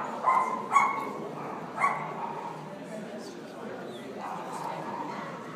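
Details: A Havanese in NY gives three short, sharp yapping barks within the first two seconds, then falls quiet while faint background sounds continue.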